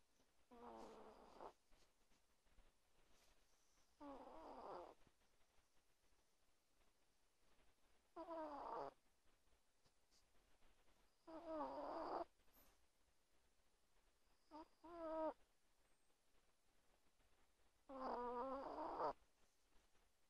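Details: Small 1.2 kg chihuahua sleeping beneath a blanket at night beside its owner, snoring loudly with six harsh, rattling breaths of about a second each, repeating every three to four seconds, somewhat unevenly.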